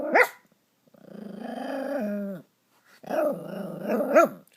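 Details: Indoors, Stella the pet dog, cross after Max stole her chew toy, lets out a sharp bark, then a long drawn groaning growl that drops in pitch, followed by more grumbling growls and a yelp-like bark.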